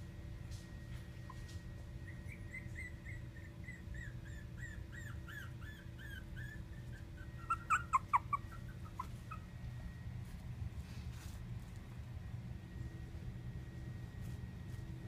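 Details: Rocky, a four-week-old black and tan male Chihuahua puppy, gives a run of thin, high squeaky whimpers, rising then falling, quickly repeated for about seven seconds and ending in a few louder cries, over a steady low room hum.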